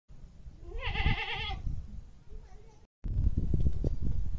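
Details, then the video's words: Goat giving a single wavering, quavering bleat lasting under a second, followed by a softer brief call, then loud rustling and handling noise. "Baa baa sound"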